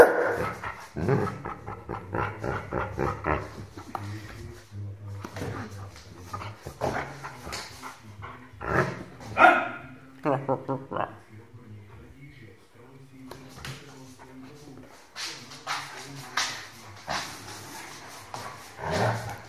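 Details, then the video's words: An 8-month-old Rhodesian Ridgeback puppy makes a scattered series of barks and short yips of uneven loudness across about twenty seconds, with quieter gaps and low background noise between bursts. "Rhodesian Ridgeback puppy barking"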